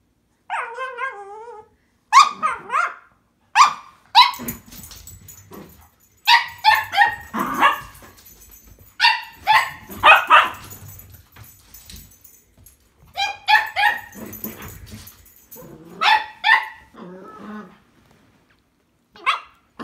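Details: A tricolour and a Blenheim Cavalier King Charles Spaniel squabbling over a string toy, trading shrill, clustered barks and yips, with a wavering whine at the start and brief quiet gaps between the noisy bursts.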